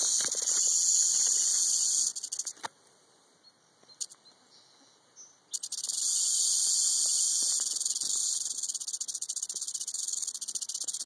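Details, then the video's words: Rattling of a Southern Pacific rattlesnake (Crotalus helleri): an intense, sizzling high buzz that breaks off into stuttering bursts and about three seconds of near silence, then restarts strongly and runs on steadily. "Southern Pacific Rattlesnake, (Crotalus Helleri), rattling."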